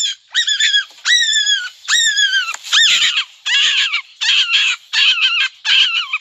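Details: Big adult black rabbit screaming in a garden after being startled: loud, squeaky, falling shrieks with bright overtones in bursts, about eight over six seconds, later cries becoming harsher and broken.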